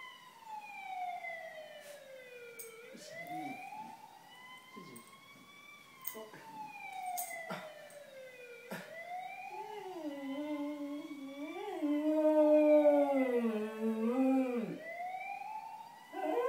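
Cocker Spaniels howl along with a wailing ambulance siren, their voices sliding up and down beneath it.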